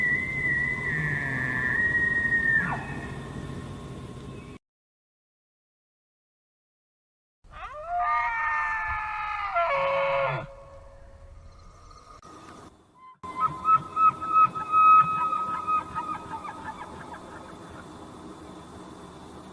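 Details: A bull elk bugles a mating call: an eerie high whistle that slides down, followed by a run of rhythmic grunting chuckles.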